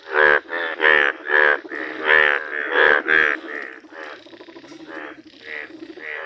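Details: Bright yellow Indian bullfrog croaking in nature: a rapid run of loud, buzzy, bleat-like croaks, about 88 per minute, that fade into softer, rougher calls in the second half.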